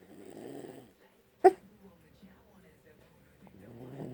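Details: Boksil, a pet dog, snoring on 3 May 2020: a rough, breathy, low snore for the first second, quiet breathing, a sharp click, then another grating low snore building at the end.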